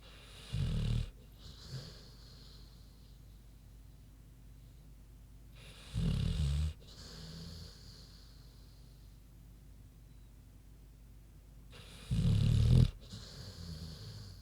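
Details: Queenie, a big pig, snoring while asleep: three loud, low, rumbling snores spaced about every six seconds, with soft breathy wheezes between them.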